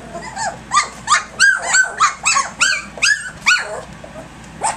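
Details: A litter of playful puppies, three weeks and three days old, romping at dawn: a rapid series of high, arching yelps and squeaky barks, about three per second, loud and overlapping.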